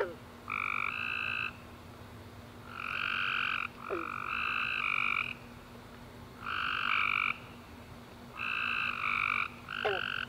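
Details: Tree frogs singing at night after a warm rainy summer day. Clusters of buzzy, pulsing trills come in pairs and triplets every couple of seconds, with scattered quick downward chirps from other frogs.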